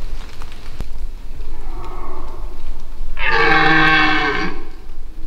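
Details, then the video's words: Noisy dominant red deer stag in the Massif de l'Aigoual, 2024, roaring in the rut while unsure of a nearby person he cannot smell. A softer moan is followed by a powerful, rich, grating bellow of about one and a half seconds. "Brame du Cerf"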